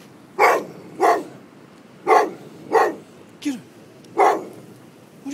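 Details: Golden Retriever Buddy reacting to a pair of prams with a series of six sharp barks at uneven intervals, roughly one per second, while a person keeps asking him what it is.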